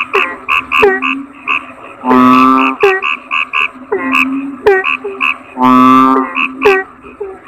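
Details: Deep, buzzing toad croaks come twice, about three and a half seconds apart, surrounded by quick runs of short chirping notes.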